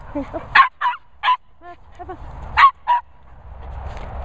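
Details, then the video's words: Border Terrier Nala meets two Cocker Spaniels, Finlay and Murphy, giving irregular sharp barks, two or three at a time with gaps, mixed with a few softer whining notes and low background noise. "Border Terrier Noisy Nala meets Cocker Spaniels Finlay & Murphy."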